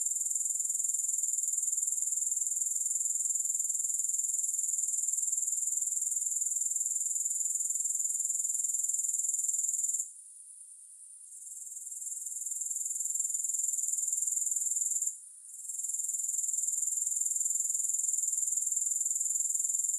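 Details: Insistent grasshopper trilling, no music: a high, shimmering buzz beating roughly four times per second, unbroken for ten seconds, then fading out twice, each time recovering to the same even drone.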